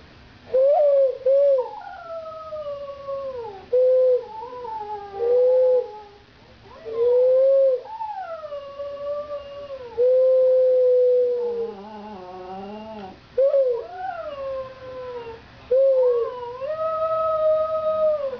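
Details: Border Terrier named Gus howling: a series of long, wavering tonal howls starting near mid pitch, sliding up then drooping down, several bouts separated by short pauses, with rich overtones and a quieter descending whine in the middle.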